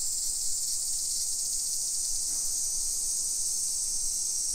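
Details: Cicadas singing at midday in summer, 28 July 2021, in suburban Nisshin, Aichi Prefecture, Japan; a continuous shrill buzzing wash holds constant without pause, over faint low background noise.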